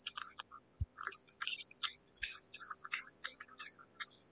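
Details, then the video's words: Cat eating wet food indoors: sharp, moist clicking smacks and squishy chews at an uneven pace, about two to three a second, with an occasional soft low thump in a quiet room. "貓貓吞吃天地：貓吃濕糧聲音 CAT EATING SOUND"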